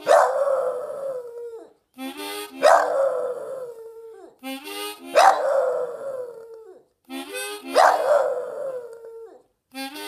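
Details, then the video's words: Oscar, a dog, "singing the blues" by howling along to harmonica music, the only time he would make a sound. Four loud, wavering howls slide downward, about every two and a half seconds, alternating with short harmonica phrases. "Oscar singing the blues"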